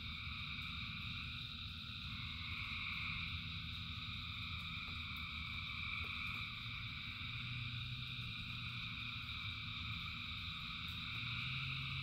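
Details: A huge chorus of frogs in the rain keeps up overlapping high trills without pause, with rushing rainfall as a low background.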